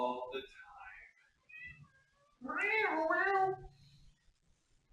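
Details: A cat lets out a single drawn-out meow lasting about a second, its pitch arching up and then sliding down, heard just after a short stretch of human talking.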